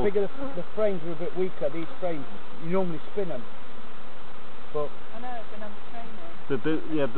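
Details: Honey bees droning over hives at Summerwood Lane Allotments and Community Garden during an inspection by beginners; several close fly-bys in the first three seconds, then a quieter hum and more passes near the end.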